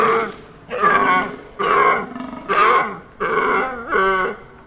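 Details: Deer giving loud, hoarse, rasping roars, five bursts at roughly one-second intervals, each rich in overtones, with the last one sounding more nasal and tonal.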